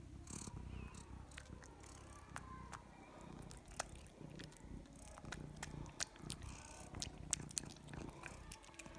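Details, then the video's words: Domestic cat eating, with soft irregular crunching and chewing clicks scattered over a low steady rumble, with no meows. "The sound of a cat eating"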